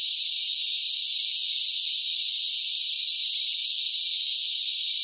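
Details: Cicadas singing noisily in hot summer weather, a dense shrill buzz that runs without a break at an even loudness from start to finish, nothing else audible.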